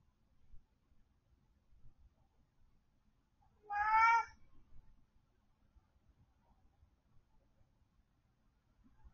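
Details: Domestic cat alone at home letting out a single loud, wavering meow midway through an otherwise quiet indoor stretch with faint background rustling.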